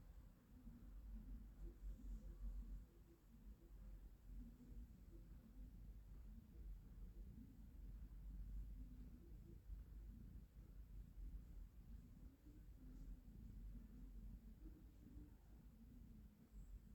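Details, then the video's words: Relaxed female house cat being stroked, giving a long, steady, quiet purr: a low continuous rumble that pulses gently with each breath, in a quiet room with faint background hum. "mruczenie kotka"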